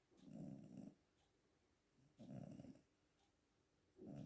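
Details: Cat snoring in its sleep, three low raspy breaths roughly every two seconds, each a coarse rattling rumble separated by near silence.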